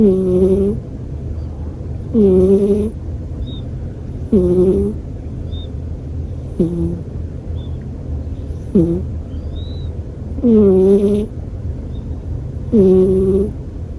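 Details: American Shorthair house cat asleep and snoring, a rhythmic series of buzzy, whistle-like breaths roughly every two seconds. Some breaths are short and clipped. A constant low background hum runs throughout.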